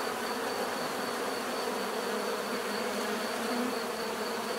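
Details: Constant hum of a crowd of bees. Layered low buzzing tones hold an even level with no breaks, over a faint high-pitched pulsing tone in the background.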